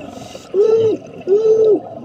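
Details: Humpback whale circling above divers near the 100-foot-deep LCU wreck off Waikiki, Oahu, Hawaii, playing around a dive boat; two clear arched, moaning tones, each about half a second long, less than a second apart, over low underwater noise.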